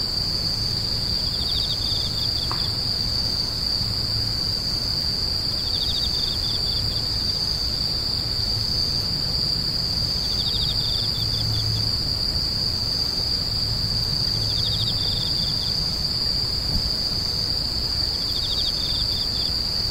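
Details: Screeching insects: an endless shrill high tone, punctuated by short trills of rapid pulses roughly every three to four seconds, over a muffled low hum and occasional faint tick.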